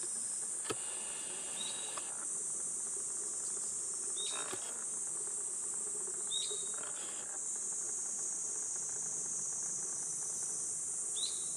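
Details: In Gifu Prefectural Centennial Park, Japan, on a 37°C summer morning in July, cicadas keep up an unbroken, high-pitched buzzing. Short whistled notes from a bird break in every few seconds, with a few soft taps.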